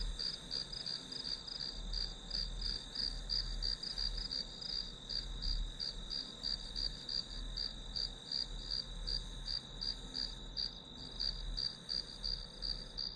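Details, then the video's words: Grass insects heard as a calming backdrop for studying: a steady high-pitched chirping, pulsed about three times per second, over a constant thin whine and a low background rumble. "풀벌레 소리"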